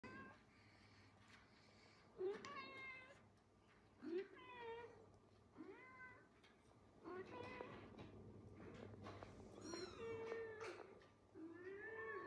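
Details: Mother cat calling her kittens with a series of rising-then-falling meows, repeated roughly every two seconds, some longer and wavering, over a faint steady background hum.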